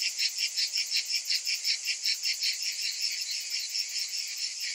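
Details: A summer chorus of cicadas: a shrill, sizzling drone throbbing in regular beats roughly every half second, loud and unbroken throughout.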